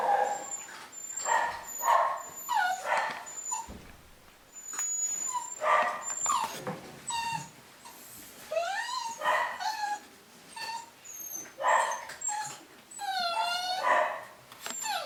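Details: Young Cavapoo puppies from a new UK litter in 2015 keep up a run of whimpers and short yips, wavering whines rising and falling in overlapping bursts every second or two, with high squeaks in the background.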